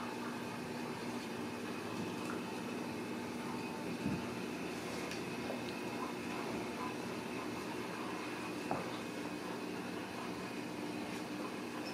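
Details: Steady broadband indoor hum like an air conditioner or fan, with faint clicks and no animal voice.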